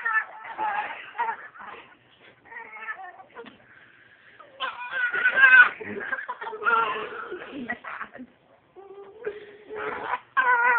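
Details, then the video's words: Pet dachshund 'talking' indoors: wavering, moan-like whines with rich overtones, some long and bending in pitch, broken into irregular phrases with short silences between them. "Talking wiener dog"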